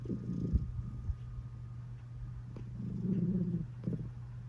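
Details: Cat purring while snoring, a low continuous rumbling drone with louder breathy snore-like swells at the start and again around three seconds.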